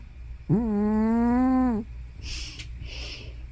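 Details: Elderly tortoiseshell cat Hana, likely over 15, snoring or sleep-talking: one sustained, slightly rising, tonal moan of over a second. Two soft breathy hisses follow over a low room hum.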